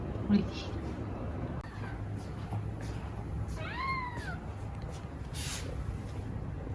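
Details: Long-legged Munchkin cat Moco, a playful, affectionate female, asks to be fed with one clear arching meow that climbs and then drops. A faint rustle and low room hum sit beneath it.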